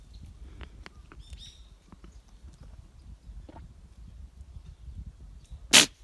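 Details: A goat named Ramona gives a single sharp, explosive sneeze near the end. Before it comes a quiet stretch of soft rustling and faint high chirps.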